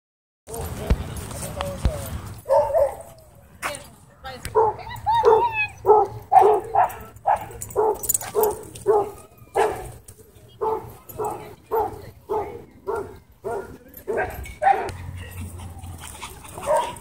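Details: Dog at a dog park, barking in a long series of sharp, evenly spaced barks, roughly two per second, with a brief pause midway before the barking resumes; a voice is heard near the start.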